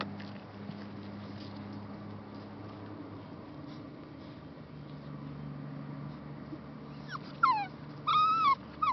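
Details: Three rescue puppies, a Labrador Retriever and Bullmastiff mix, awaiting adoption; after a quiet stretch with a low hum, a burst of short high whimpers and yips in quick succession, some falling in pitch.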